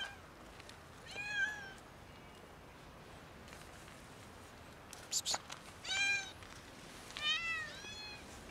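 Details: Domestic cats, a kitten and two adults, meowing loudly to ask for food: drawn-out, harmonic-rich meows, one near the start and a pair later with a slight rise then fall, separated by clattering knocks and a quiet background.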